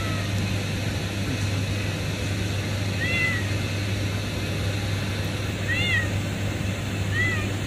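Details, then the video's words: Kitten discovered beneath a pipe at a refinery, calling three times with short, high, arching meows against a constant deep industrial drone. "lagi DI BAWAH PIPA... nemu || KUCING KILANG"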